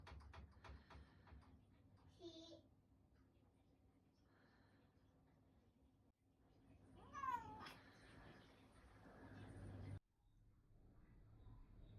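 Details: Bengal cat, male, indoors, yawning aloud with a very small voice: a brief rising-falling squeaky whine midway, otherwise quiet with low room hum and faint rustling.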